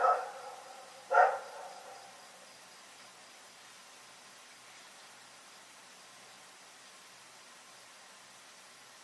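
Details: Night barking from Rex the dog: a clipped bark opens, a single strong bark follows about a second later, then a long stretch of near silence.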